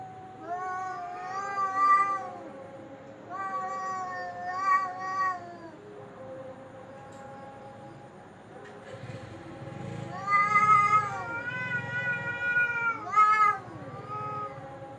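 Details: Cat making horrible-sounding calls: long, wavering, drawn-out yowls in several bouts, rising and falling in pitch, with a low rumbling murmur under the later wails.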